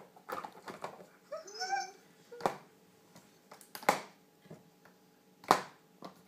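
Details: Shiba Inu puppies squabbling over a toy they cannot share, giving high whining and squealing calls with tonal wavering notes in the first two seconds, then sharp clicks and thumps of play indoors in a small room.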